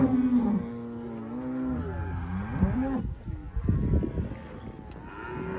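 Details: Black Angus cows in a herd of 140 cattle giving deep, drawn-out moos that waver and bend in pitch, followed by a stretch of rougher, noisier lowing and background shuffling.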